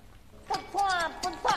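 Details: Pet cats being fed yogurt by their owner indoors, a fat tomcat and a black-and-white cat among them; short high-pitched meows, one brief, then a longer level call, then a final short one.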